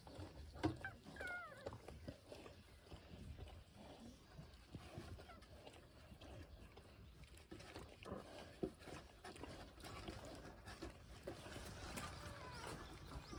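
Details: Pungsan dog puppies, seven days old, born June 14 and cared for by their mother Iseul; a short high squealing whine rises and falls early on, then soft shuffling, snuffling and faint rustling fill the rest.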